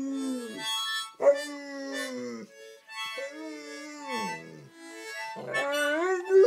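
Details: Chester, a Landseer Newfoundland dog, howls along to a mouth organ: several drawn-out, wavering howls that sag in pitch at each end, separated by short gaps, with the harmonica's bright reedy chords sounding throughout.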